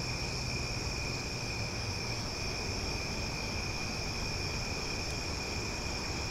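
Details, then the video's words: Steady, high-pitched buzzing of many cicadas on an Omaha night, loud and unbroken, with a faint low hum of traffic underneath. "Cicada Sounds for Sleep"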